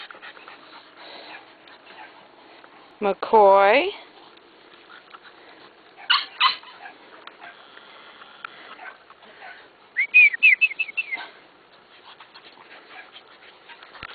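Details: Male chocolate merle bulldog, a kept pet, giving a few short whiny vocal bursts: a strained rising-falling whimper near three seconds, two brief squeaks around six seconds, then a quick run of high yelps near ten seconds, with a person's voice between.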